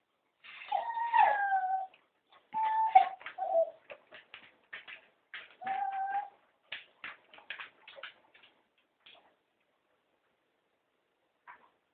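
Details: Cocker spaniels, three of them, plead to go for a walk with long wavering whines. Short choppy yips and grunting sounds follow, then a final whine before the sounds fade into sparse faint bursts.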